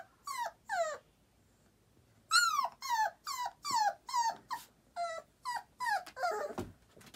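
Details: A Boxer puppy at nap time gives a run of short, falling, tuneful whines, like a little sung lullaby howl.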